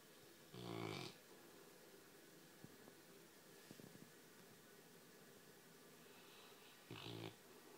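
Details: Pet Labrador Retriever snoring softly while asleep: two short rasping snores about six seconds apart, with near-quiet breathing and faint small ticks in between.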